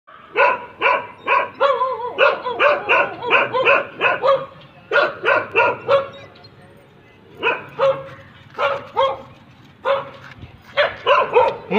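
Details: German Shepherd dog barking in rapid, irregular bursts of harsh barks, clustered in runs of three to eight with short pauses between groups.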